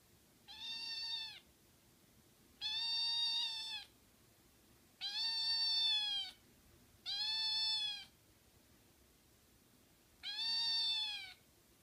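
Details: A hungry male American Shorthair kitten meows repeatedly, high and plaintive, asking to be fed.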